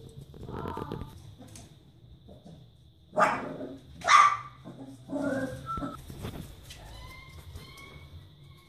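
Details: Four-week-old Barbet puppies whimper and give a few short, sharp yips, with thin, high whines trailing off near the end; faint human voices murmur in the background.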